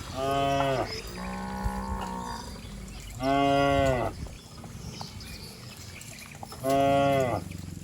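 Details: Cattle running and jumping down a lush green hill in the countryside; three strong, even moos at regular intervals, one lower drawn-out bellow between the first two, with steady outdoor noise.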